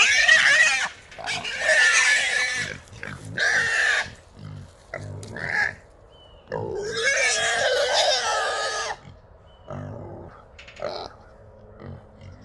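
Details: Three small wild hogs caught together in a small trap in Texas at 3 in the morning, giving loud harsh squeals in repeated bursts of one to three seconds, with quieter grunting in the gaps.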